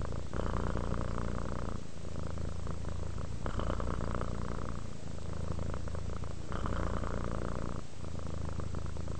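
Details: Domestic cat purring while relaxing: a continuous low rumbling purr, steady throughout, interrupted by brief pauses for breath roughly every two seconds.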